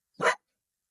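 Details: A fearful rescue dog gives a single short, sharp bark at a visitor during a training session at home, a habit of barking at guests; one brief burst with nothing after.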